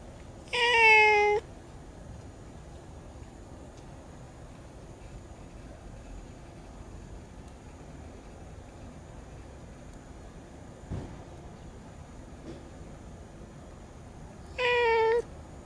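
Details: Bicolor cat giving two clear, tonal meows, one at the start and one near the end, separated by a long quiet stretch with a faint click in between.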